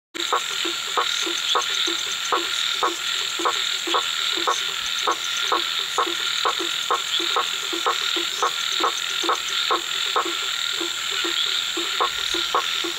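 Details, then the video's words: A blacksmith tree frog (Hypsiboas faber), a nocturnal Brazilian treefrog whose calling intensifies in rainy seasons, gives sharp metallic knocks, like a hammer on an anvil, about twice a second. "Sapo-martelo vocalizando (𝘏𝘺𝘱𝘴𝘪𝘣𝘰𝘢𝘴 𝘧𝘢𝘣𝘦𝘳)"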